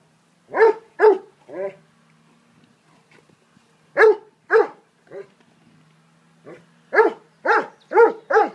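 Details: Dobermanns named Dolce, Gabbana and Zeus play together in a garden, giving bursts of two or three sharp barks separated by pauses of a second or more, then a denser flurry of five barks near the end.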